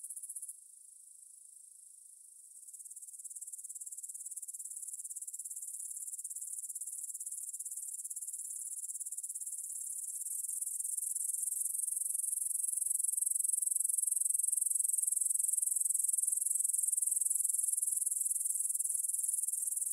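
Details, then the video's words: Grasshoppers stridulating in a meadow near the Svensky monastery in Bryansk, Russia, at 9 pm on 6 September 2020, taken on a Tascam DR-44WL in stereo; a steady, very high hissing shimmer that swells louder after a few seconds, with no other sounds. "кузнечики на лугу – Grasshopper Sounds in the Field"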